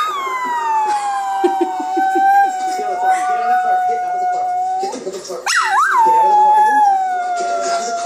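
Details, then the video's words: Pet dog howling along with police sirens on a TV cops show: a long, wavering howl that slides gently downward and holds steady, then after a brief break rises in a sharp yelp before settling into another sustained howl, with faint TV sounds beneath. "dog making sirens sound while watching cops"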